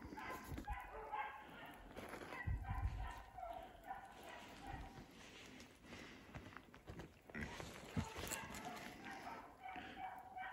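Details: Beagles Koblers Running Whiskey River (Rio) and his sister Koblers Running Ripley baying while chasing a snowshoe hare through wet woods at dusk, after fresh snow and sleet turning to rain; distant harmonic bays repeat in irregular bursts, with rustling and dripping close by.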